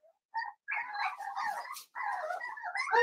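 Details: Seven-week-old blenheim Cavalier King Charles Spaniel puppies, a litter of five in an indoor puppy pen, giving a run of high whiny yips and squeals that blend into almost continuous yapping, with brief pauses between bursts.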